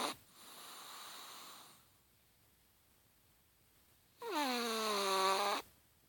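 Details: Chihuahua asleep and snoring: a soft, breathy hiss, a pause of near silence, then a louder whistling, wheezy snore lasting over a second.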